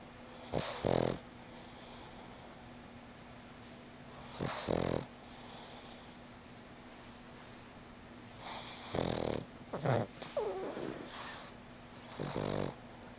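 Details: Petit, a black female pug born 18 November 2009, snoring in her sleep: short rasping snorts every few seconds, some doubled, with quiet stretches between and a faint steady hum behind.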